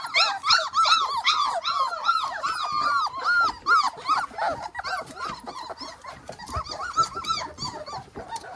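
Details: Hovawart puppies out on a deck for the first time, exploring open space; rapid overlapping high squeaky whines and yelps, arched and wavering, several pups calling at once about two or three times a second.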